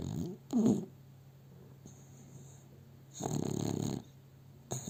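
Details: Dog asleep in its owner's arms, filmed with a cell phone, gives two low, rough snoring breaths, a short one early and a longer rattling one near the end, with quiet breathing and a faint hum between.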